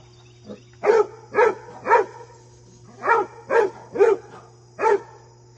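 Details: Basset hound named Fred, visited by his deer friend, barking in short harmonic bursts, about two a second in uneven groups, with a steady low hum underneath.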